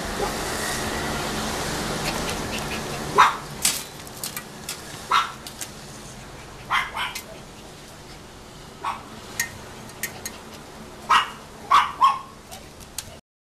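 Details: Female Chow Chow puppy born 28 February 2014, nearly three months old: short, high yips and small barks scattered through the recording, some in quick pairs, over a steady hiss with faint clicks and knocks.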